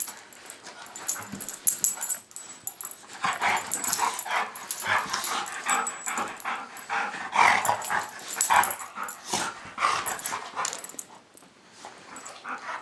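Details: Pit bull puppy and golden retriever play fighting indoors; rough scuffling with growls, yips and snarls throughout, bursts loudest midway, a person exclaiming nearby.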